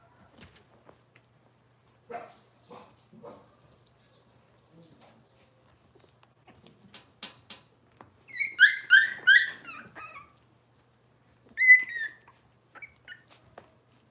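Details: Cavalier King Charles Spaniel puppies from one litter in a kitchen, heard indoors: a few soft low whimpers, then a burst of loud high-pitched yelps and squeals around the middle, and another sharp squeal shortly after.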